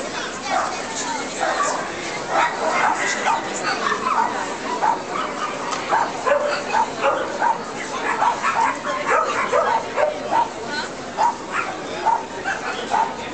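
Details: A Cairn Terrier at an international dog show in Nitra, Slovakia (24 February 2013) gives quick, high yapping barks in steady bursts while people talk nearby.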